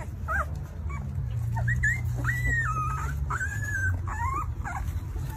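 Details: Two-week-old newborn Alaskan Malamute puppies whimper in thin, high, wavering squeals, some sliding up and then down in pitch, over a steady low rumble.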